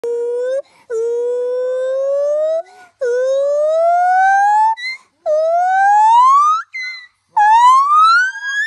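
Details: A monkey gives long, loud wails that slide steadily upward in pitch, much like a siren, before spinning around.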